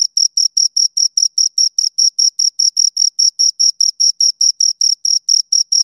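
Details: Steady chirping from two crickets: sharp, high-pitched pulses repeated roughly four times a second with even spacing and near-silent gaps between them; nothing else audible.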